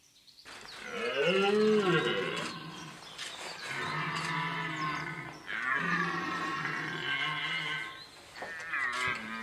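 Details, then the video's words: Red deer stag bellowing during the rut in the Vercors, France, on 30 September 2022, around 19:15 as fog cleared and sun appeared; three long, loud, harmonic roars, rising then falling, with brief pauses between, one short final grunt. "Brame du cerf Vercors"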